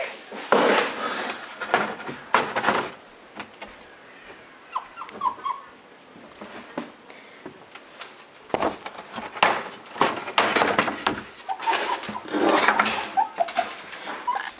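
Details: Butters, a female Toy Fox Terrier, hunts indoors for a mouse hiding behind a shelf and in closets. Short, high whines come in the middle and toward the end, amid rustling, scratching, thumps from the search and a person talking.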